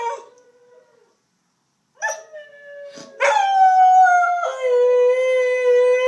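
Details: Diablo, a pet dog missing his owner in Missouri, howls during a daily webcam call, filmed with an iPhone 4s; after a quiet start with a few short yelps, a long, steady, clear howl falls slightly in pitch, then levels off.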